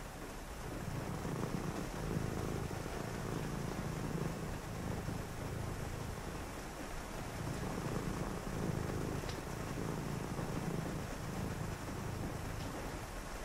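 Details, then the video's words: Purring cat on a rainy night, its deep vibrating rumble rising and fading in slow cycles, roughly every few seconds, beneath a steady wash of rainfall and faint distant rumbling. "a purring cat"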